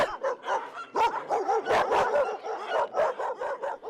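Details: Injured dog with a collar embedded in its neck, crying during a rescue; a rapid series of high, wavering whimpers and yelps, each short and pitched, repeated several times a second with brief gaps.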